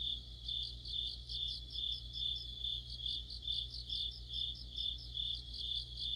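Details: Crickets and other insects sing together in mid-autumn, a continuous high-pitched trill with rhythmic pulsing chirps about twice a second, several callers overlapping, a faint low hum beneath.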